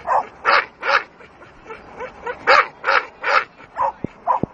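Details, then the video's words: Dogue de Bordeaux barking during attack behaviour; a run of loud, harsh barks, mostly in pairs with short gaps, about eight bursts in quick succession, followed by two sharp knocks near the end. "Leona Ataque Dogue de Bordeaux"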